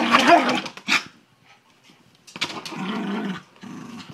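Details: Miniature Schnauzer playing basketball and getting excited gives a couple of quick sharp barks, then a longer rough, rumbling growl.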